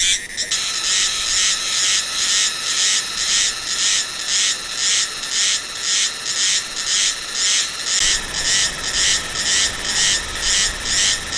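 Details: Meimuna cicada recorded in Taiwan's hills in late autumn, November or December; rhythmic croaking buzz pulses roughly every half second, duck-like and regular, after a short opening burst of noise.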